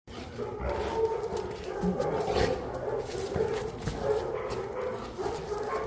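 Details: Boerboel, or South African Mastiff, one of a pair named Enzo and Diva living in Egypt, gives a steady, droning whine-like vocalisation that rises and falls in waves without pause. Muffled rustling runs underneath.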